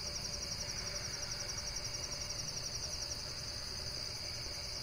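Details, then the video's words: Insect chorus of rapid, evenly pulsed high chirps, about four per second, holding a constant pitch above a dull low-frequency background hum. "Relaxation Video with Various Nature & Insects Sounds"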